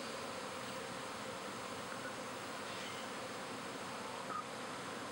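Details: Backyard honey bees swarming in spring as half the hive and a new queen relocate to a second hive; a continuous, even roar of countless wings holds throughout, steady in level.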